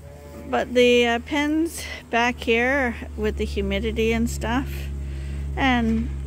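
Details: Bottle-fed lambs at Ewetopia Farms, still on their mothers but supplemented twice daily at a hand-made feeder, bleat again and again in short, shaky, overlapping cries with brief pauses, while a constant low hum runs underneath.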